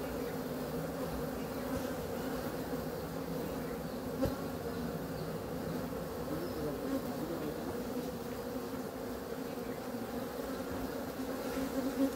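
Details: Quiet, unbroken low buzzing drone of honey bees lasting throughout, with a single soft click partway through.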